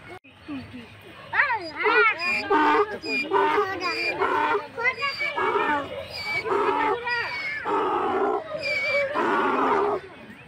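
A donkey brays, a loud, harsh hee-haw see-sawing between high wheezing notes and deeper honks.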